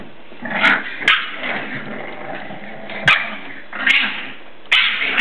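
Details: English Bulldog puppies, seven weeks old, at play inside: short high yips and barks about once a second, each with a sharp click or knock, and a low growly murmur between them.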